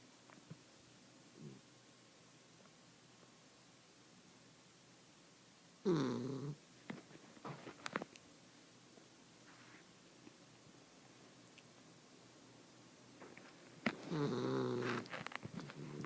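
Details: Sassy, a 1-year-old female Miniature Dachshund, sleeps on her back on the couch and gives a few loud, rough snorting snores between long quiet stretches, like an old man in deep sleep.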